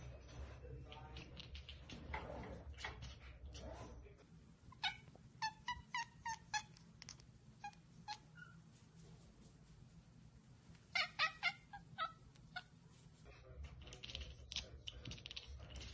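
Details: Domestic cat chattering at a bird or insect it has spotted but cannot get to: two bursts of quick, stuttering clicks, the first around five to eight seconds in and the second near eleven seconds, over a low indoor hum.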